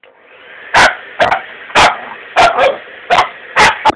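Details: Jack Russell Terrier x Staffordshire Bull Terrier cross barking at a hair dryer: sharp, loud single barks, seven in four seconds, some doubled, irregularly spaced over a quiet background hum.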